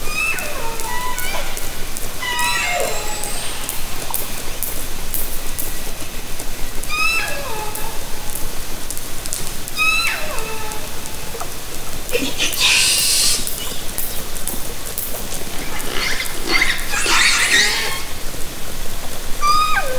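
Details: Orcas recorded underwater by hydrophone from a kayak in Haro Strait, summer 2010. Repeated downward-sweeping, harmonic calls arrive roughly every two to three seconds, with two bursts of harsh broadband buzzing near the end over steady water hiss.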